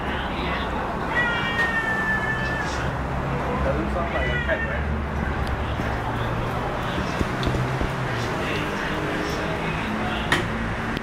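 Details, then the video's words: Basement cat giving child-like crying meows; two drawn-out wails early on, then a man talking over steady low rumbling background noise. "basement cat making sound like a crying child"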